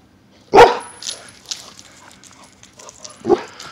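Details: Xoloitzcuintli named Sombra playing with another dog indoors: one loud sharp bark, then a few softer yips and whines, and a second short bark near the end, with light background noise.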